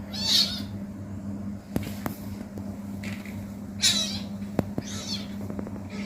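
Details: Playful kitten letting out brief, very high, thin squeaky mews at the start and again near the middle, between soft taps and clicks over a constant low electrical hum.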